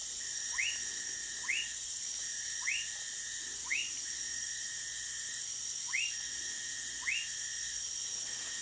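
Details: Orinoco lime tree frog from Manaus in Brazil's Amazonas state, giving brief rising chirps spaced roughly one to one and a half seconds apart, with a constant high insect drone in the background.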